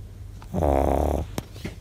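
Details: Shih Tzu snoring loudly, tired after an outing; a single rough, buzzing snore lasting under a second, low and droning with a rattling texture, followed by quieter breathing and a faint click indoors.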